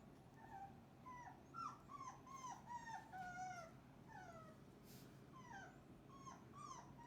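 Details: Cane Corso puppies piled together after breakfast, full and messy: many high, whining whimpers sliding downward, overlapping from several pups, steady soft background hum.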